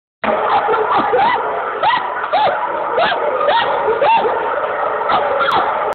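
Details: Old English Sheepdog at the FCI Tokyo International Dog Show, Japan, 19 December 2010: a loud run of barks, one about every half second, over steady hall noise.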